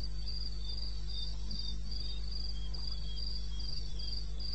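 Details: Crickets at 02:30 on 21 May 2016, eastern Botswana wilderness. Bright, high chirps are delivered in fast regular bursts by overlapping insects, above a constant deep hum.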